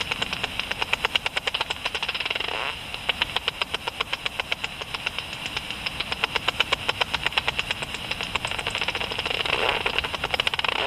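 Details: At dusk, a Japanese pipistrelle (Pipistrellus abramus) flying around, its ultrasonic calls converted by a bat detector into a long run of sharp ticks, several per second, with brief pauses and swelling hiss near the start and end.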